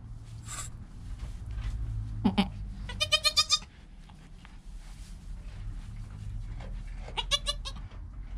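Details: Newborn goat kid named Joel, within his first hour of life beside his calm mother Penny, recorded on a GoPro: a short low grunt, then a quavering, pulsed bleat near three seconds and another near seven, over a steady low rumble.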